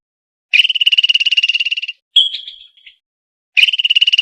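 A squirrel gives fast, rattling chatters, high and buzzy, with a brief scratchy squeak between them.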